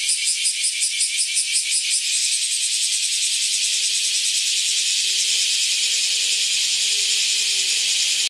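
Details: A cicada in the woods gives a loud, high, hissing buzz, pulsing rapidly at first, then merging into one steady drone, heralding the coming of summer.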